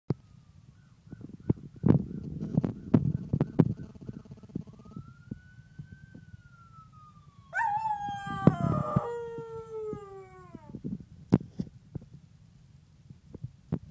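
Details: Vida, a dog, howls at a police siren sound effect played on a computer: a steady descending siren tone, then a loud harmonic howl sliding downward for about three seconds, with scattered clicks and thumps around it.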